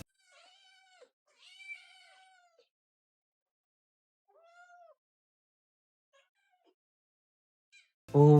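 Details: Two kittens begging for wet cat food with gravy at lunchtime, acting as if unfed for three days: a series of drawn-out, harmonic, slightly falling meows in the first five seconds, then faint ones, ending in a loud clatter.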